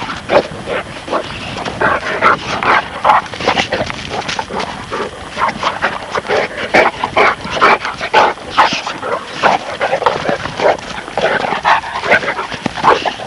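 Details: Playing pups, a Presa Canario and a Neapolitan Mastiff, yelp and bark in quick, uneven bursts, more than two a second, with whiny yips and squeals mixed through a continuous playful clamour.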